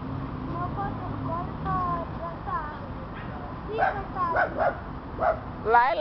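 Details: Female dog flirting and being flirted with at a dog park in Rio de Janeiro, Brazil; a few sharp barks and yelps in quick bursts near the end, after a stretch of people talking and background noise.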